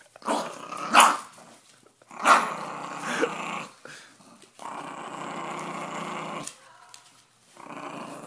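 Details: Pet dog Mila guarding her money growls with two sharp snarling peaks early, then sustained low rumbling growls separated by brief pauses.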